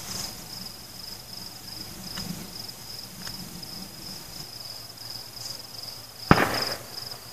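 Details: Cricket song during a fireworks celebration: a constant shrill high trill running throughout, faint low rumbles early on, and one sharp explosive bang near the end.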